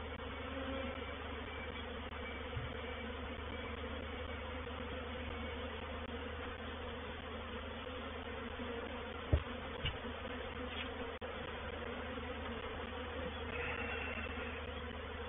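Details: Reproductive swarm of honey bees moving into a bait hive (swarm trap) at Painted Peacock Manor on 04/07/21; a dense, steady, low droning hum with banded tones fills the clip, broken by a few brief knocks and clicks.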